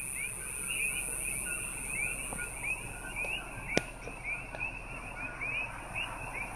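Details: Common coqui (Eleutherodactylus coqui) frogs chorus at night on Hawaii's Big Island. Many give quick, rising, whistled chirps that overlap into a steady chorus, and a cricket calls loudly close to the stopped car.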